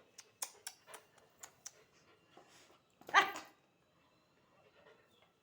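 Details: Angry German Shepherd puppy denied food: a few light clicks and taps, then a single sharp, rough bark, followed by quiet.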